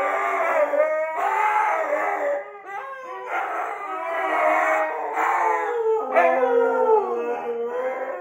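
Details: Two pet Siberian huskies howl in long, sliding, overlapping tones, reacting to recorded wolf howls playing on the TV.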